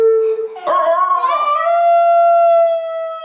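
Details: Basenjis giving a double yodel: a steady mid-pitched tone, then a sudden loud wavering burst of overlapping voices that settles into a long, even, held higher note.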